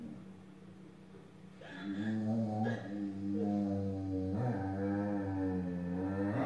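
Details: A jealous, grumpy female Belgian Shepherd Groenendael growls at a Husky for not sharing the couch, a deep rumbling, wavering sound held in long stretches.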